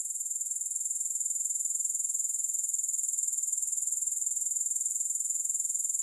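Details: Grasshoppers in a continuous, high, thin insect trill of rapid, evenly pulsing chirps that never pauses, with no music or other sounds.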